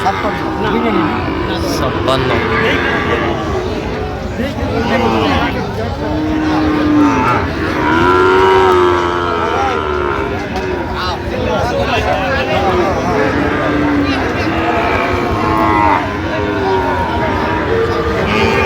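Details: Cattle at Raniganj market, where Sahiwal bull calves are being sold on 13 November, give repeated mid-pitched moos, some short and some long, scattered among constant human talk, haggling over prices and passing vehicles.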